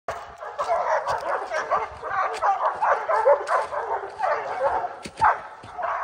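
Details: Four Oorang Airedale Terriers treeing a black bear on a mountain trail in early spring, the bear fresh from its winter den; dense overlapping barks and yelps from several dogs, continuous and chaotic.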